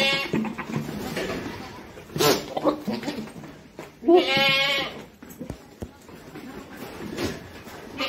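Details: African Boer goat on a goat farm giving a short, wavering, nasal bleat near the middle, with an earlier brief cry, over background music and scattered voices.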